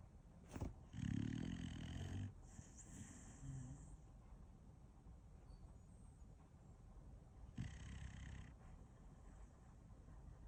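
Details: Dog sound asleep, giving one strong rasping snore near the start, then softer snuffling breaths and faint rustles, with long quiet stretches between.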